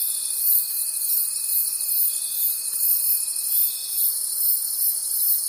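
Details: Crickets in a forest at night, their high, rapid pulsing chorus swelling and fading about three times per second, over a faint continuous thin tone that stops near the end.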